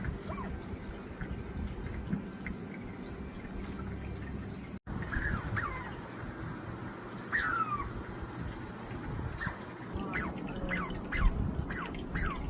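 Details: Douglas squirrel named Mila, recorded on 20 July 2025, making chirping and barking sounds: short, sharply descending chirps, single at first, then a quick run of several near the end, over a steady low rumble of background noise.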